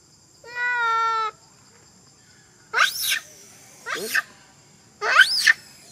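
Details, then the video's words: A crying monkey gives one flat, sustained wail, then three harsh, rising-falling screams about a second apart against a quiet, hissing background. "Poor monkey Big Bertha Crying forever"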